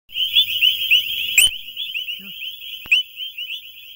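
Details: A dense chorus of male frogs calling for females in the mating season gives high, chirping calls that overlap into a steady shrill wash.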